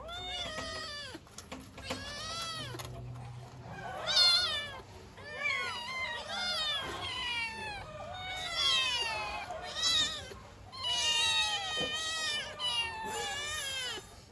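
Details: Hungry or cold kittens calling for their mother: many overlapping high meows in irregular bursts, some long and wavering, loudest in clusters a few seconds apart.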